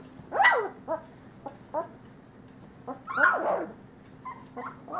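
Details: Male Great Pyrenees puppies from a summer 2013 litter of Bella and Ranger, about three weeks old: two sharp high yelps sweeping downward, at the start and after three seconds, with soft short whimpers between and a steady electrical hum.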